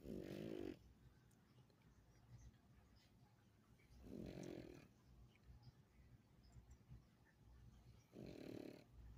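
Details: A pug snoring softly. Three short, raspy snores come about four seconds apart over a low, steady background hum.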